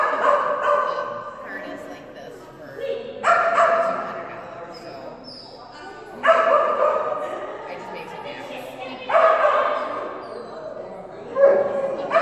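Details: Phenix, a female Kerry Blue Terrier, during an agility class on a bad run; sharp, high barking outbursts roughly every three seconds, each starting loud and fading, with speech around.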